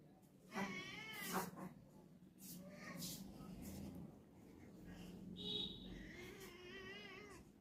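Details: A cat meows in drawn-out, harmonic cries: a strong call near the start, quieter mews through the middle, and a wavering, wobbling meow near the end, with faint human voices in the background.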